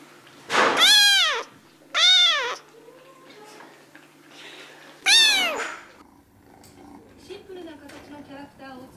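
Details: Short-legged Munchkin cat giving three loud arched meows within six seconds, the first and last longest, followed by quieter faint murmurs and room noise.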